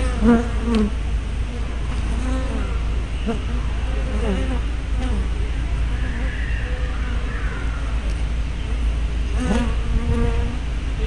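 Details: Honey bees flying close past a hive entrance on 24 May 2012, picked up by a spy camera with a 180-degree fisheye lens: distinct humming buzzes swoop up and down in pitch, several passes overlapping over a steady low hum.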